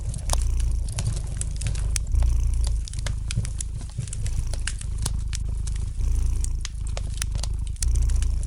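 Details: Relaxed house cat purring near a fire: low vibrating drone pulsing in breath-length swells about every two seconds, with scattered crisp crackles of the fireplace above.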